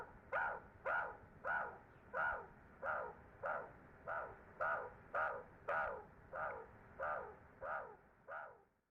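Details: Ungulungu meerkat group, wild and free, grooming and huddling before going to sleep at sunset; thirteen short nasal calls in an even chain, roughly one every two-thirds of a second, fading at the end.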